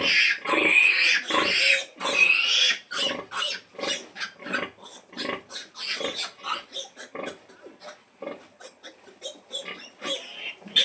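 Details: Mother pig calling her piglets to feed: rapid series of short harsh grunts, about 105 per minute, loud broadband squeals at the start, then steady repeated grunting pulses.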